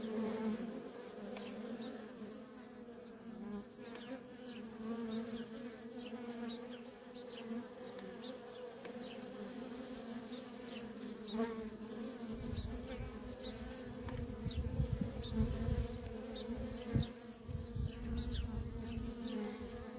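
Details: Feral honey bee colony with worker bees in nonstop traffic, giving a constant low hum; in the second half, rumbling low noise like wind joins the drone, and faint high chirps flicker above.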